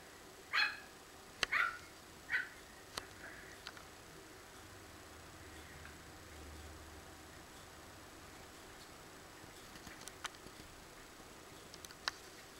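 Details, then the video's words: Coton de Tulear dogs having fun playing in a garden, three quick high yaps in the first few seconds, then quiet with scattered clicks and small thuds. "The dogs are having a lot of fun in the garden - Coton De Tulear"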